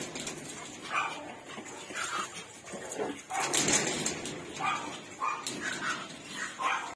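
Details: Pug puppies, male and female, giving repeated short high-pitched whimpers and yelps about once a second, with rustling and human voices in the background.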